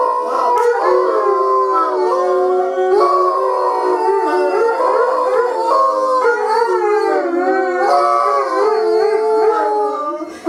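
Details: A trio of Bloodhounds howl together in long, wavering, mournful tones that rise and fall and overlap as neighbours pass their house.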